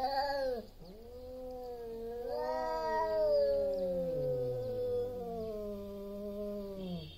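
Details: Two big male domestic cats yowling before a fight over territory: long, drawn-out wailing tones that waver and slide up and down, one short cry at the start, then overlapping moans sustained for several seconds, loud and continuous.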